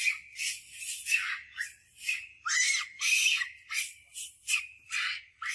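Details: Monkey Scarlet screaming loud for help as Monkey Suk shows power, while Rose eats mango; shrill, harsh high-pitched screams in rapid bursts, about a dozen in under six seconds, each rising and breaking off sharply.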